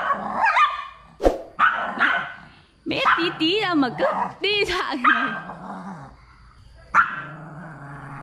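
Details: An angry pug snaps at a new friend it will not cooperate with, giving wavering whiny yips and short barks in clusters. Vietnamese speech runs alongside, with a final sharp bark near the end.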